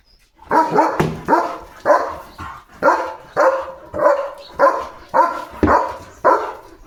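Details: Leo, a pet German Shepherd, gives a steady series of about ten loud, full barks spaced roughly every half second to one second, each bark sharp at onset and fading quickly.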